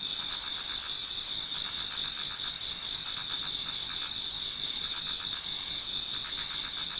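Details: Many autumn insects singing in a Japanese garden towards dawn: steady high shrill trilling with fast pulsed chirps layered over it, a dense continuous chorus with no other clear sounds.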